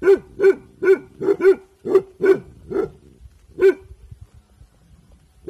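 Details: Bhotia dog Dabu Goli barking on alert while guarding in the evening; a quick string of sharp barks, then slowing to single barks separated by quiet spells.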